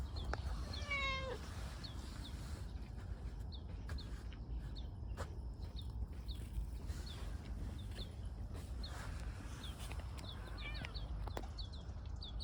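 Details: Affectionate tortoiseshell stray, a park community cat rubbing up for attention, lets out one clear wavering meow early on, then falls quiet while soft repeated high chirps continue over low outdoor rumble.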